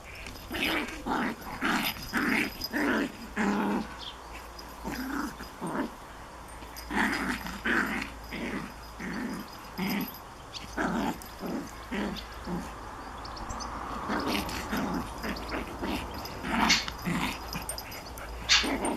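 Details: A Japanese Chin puppy tormenting a Collie in play: steady rumbling growls in short bursts, roughly two per second, with brief pauses between runs and occasional birdsong in the background.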